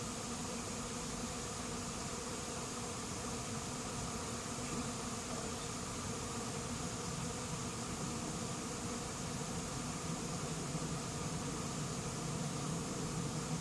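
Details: Honey bees in a late-season swarm settling into an empty, unprepared hive; many wings make a steady, layered hum, a low drone with a brighter buzzing edge that stays constant throughout.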